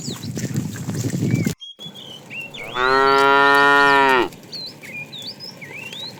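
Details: A tame cow roaming the road looking for food lets out a single long, steady moo after a brief rustle and pause, while birds chirp high in the background.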